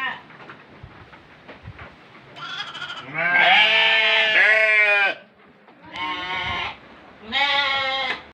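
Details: Goat for the Qurban sacrifice calls after some low murmuring: a long two-second quavering bleat, then two shorter nasal bleats with bright, strongly layered harmonics, separated by brief quiet gaps.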